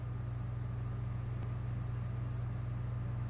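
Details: A steady low mechanical hum with a constant drone and faint hiss fills the whole stretch; no animal voice stands out.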